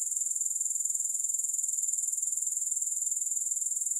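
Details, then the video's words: Calm grasshopper buzzing with no music: an unbroken, very high-pitched trill of quick, regular pulses at a steady volume, with nothing else audible. "Grass Hopper Sounds"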